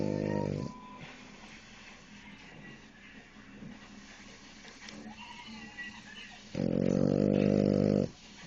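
A French Bulldog snores loudly with deep, raspy, buzzing breaths separated by quieter pauses.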